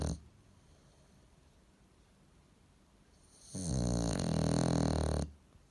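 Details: Bulldog asleep as a household pet: after a long quiet pause, one loud, buzzing, low snore lasting nearly two seconds rises and then cuts off.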